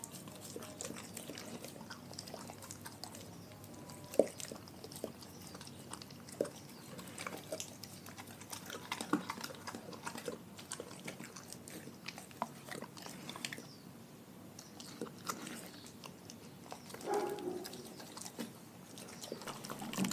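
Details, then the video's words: Pack of dogs eating a raw food diet indoors: quiet, scattered crunches and wet chewing clicks, with a few sharper bites standing out against a soft background. "Epic ASMR Compilation Dogs Eating Raw Food"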